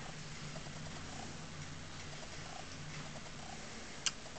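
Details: Shaman, a pet cat fond of eating chives rather than kitty grass, purrs in a steady low rumble throughout, with one sharp click near the end in a quiet indoor room.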